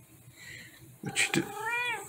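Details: Female tabby cat meowing indoors at home while her owner talks to her; a short rising-falling harmonic meow near the end, preceded by clicks and the owner's soft speech.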